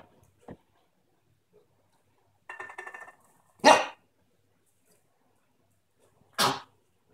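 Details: Whopper, a four-month-old West Highland White Terrier playing with a can, gives a short rough, growly bark. Two sharp, loud bangs follow a few seconds apart. A faint click opens the recording, with quiet between sounds.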